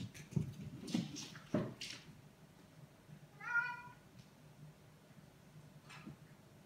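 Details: Ragdoll cat dashing around the house with the zoomies: three dull thuds in the first two seconds, then a single clear harmonic meow held about half a second, followed by faint knocks.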